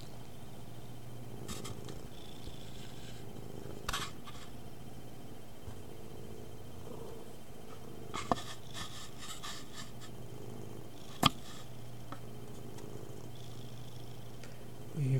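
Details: Domestic cat purring, picked up by a webcam microphone during a recording test: a steady low rumble held through most of the clip, with scattered clicks and rustles of movement indoors.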